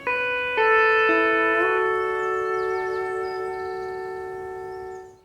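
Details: Sustained plucked or slid instrumental notes, stepping down in pitch then holding steady, with faint high chirps in the background.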